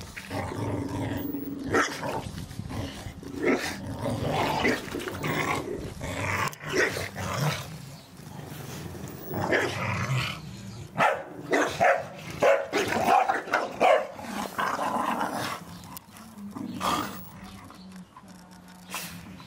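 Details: Staffordshire Bull Terriers playing in a garden, tearing apart a ball gifted for Christmas; rough, rumbling play growls and short gruff barks come in uneven bursts, with scuffling noises between them.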